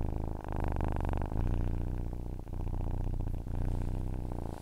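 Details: Short stretch of a domestic cat's purr: a soft, deep, rattling drone with a few irregular breath breaks, heard close and clear.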